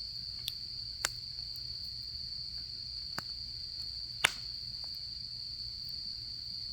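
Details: Insects singing on an autumn night, one unbroken high trill under several sharp campfire snaps, the loudest near the end, with a soft low background hum.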